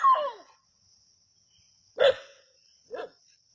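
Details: Native dogs chasing a snake at Keeladi: a falling whining yelp opens, followed by a loud bark and a softer one a second later, over a constant high-pitched hum.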